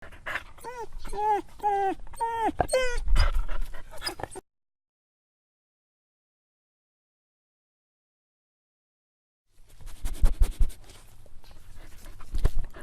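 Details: Sad, hungry dog begging for food: a run of short, high, bending whimpers repeated quickly for about four seconds, then silence, then rough snuffling and low thumping noises.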